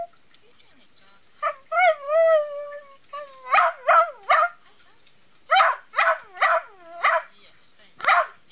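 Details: Nounour, a cuddly pet Pomeranian, gives a drawn-out, wavering whine that slides up and down, then a run of short, sharp yips in small bursts spread over several seconds, in a quiet room.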